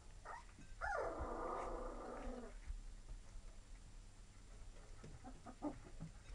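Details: A Lab and Retriever mix puppy lets out one long, wavering whine that starts high and slides downward over about two seconds, followed by a few faint short squeaks amid light rustling.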